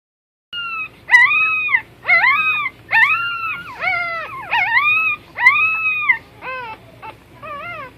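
Puppies give high, arching whines, one after another, each rising then falling in pitch.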